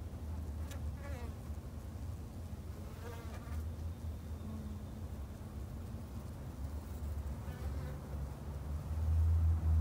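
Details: Constant low buzzing of Japanese honey bees kept in a garden hive, with soft passing chirps early on and the droning swelling much louder in the final second.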